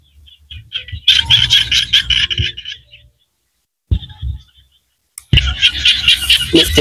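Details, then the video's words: Small frogs calling in Cambodian rice-field countryside: bursts of rapid, buzzy, pulsed trills, high and rattling, running a few seconds each with short silent breaks between, over a faint low rumble. "សំឡេងក្អាត់យំស្រុកស្រែ Small Frogs Sounds"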